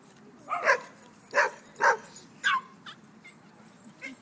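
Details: Dogs playing on the grass at a dog park, barking in sharp bursts: four loud barks within about two seconds, then a few fainter yips trailing off.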